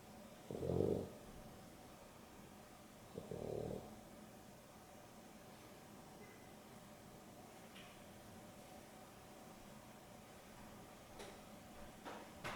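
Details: Afternoon nap of two dogs, Boston Terrier and Beagle mix Dexter and Rio; two rough snoring breaths early on, then quiet breathing with faint small clicks and rustles.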